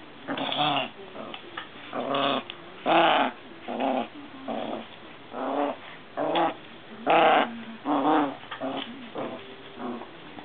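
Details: Maltese dogs, three sisters of a mother-and-daughter family, growling while playing together with a frog. Rough, throaty growls come in short bursts of about a second, roughly once a second, with brief quiet gaps between them.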